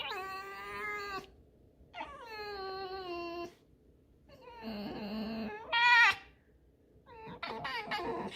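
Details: Tame fox in a house, caught chewing a rag and protesting, gives a run of squeaky whines: long harmonic squeals, a harsher strained one, a sharp high yelp, then broken rough squeaks, with quiet gaps and a man's voice.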